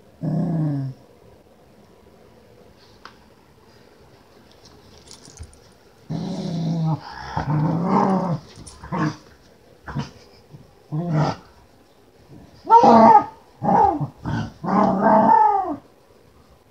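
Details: Female Keeshond Khushi playing: a short growl, a pause, then a long run of grumbling growls, rough grunts and whiny, wavering moans in quick bursts of varying length, indoors with little background noise.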